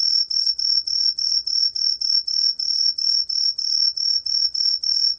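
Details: Cheongsol cricket (Truljalia hibinonis) from Korea, a 2020 National Institute of Biological Resources recording: sharp, high tonal chirps pulsing a little over three times per second in a regular, unbroken rhythm over a quiet background.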